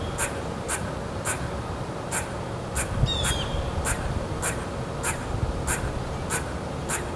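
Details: Squirrel sounding off, friendly or irritated: a long run of crisp, high, clicking barks about every half second, steady and insistent. A brief faint whistle occurs near the middle, and there is a constant low background noise.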